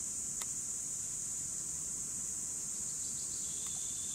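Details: Cicadas in 2017, a steady unbroken high buzzing chorus held at one pitch throughout, with a couple of faint brief bird chirps and a soft rural background hum beneath.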